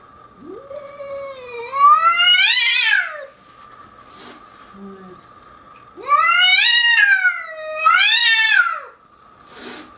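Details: Cat defending its deck in Whistler, British Columbia, against a curious young bobcat. It gives loud, harsh caterwauling yowls that rise in pitch, swell and fall away, in three bouts about ten seconds apart, with a faint hum beneath.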